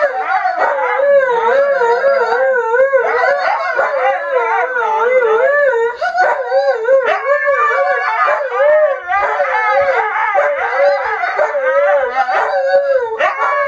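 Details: A pair of Siberian Husky sled dogs singing in unison with their owner: continuous overlapping howls, wobbling up and down in pitch, with yips and breaks layered through a dense, loud chorus.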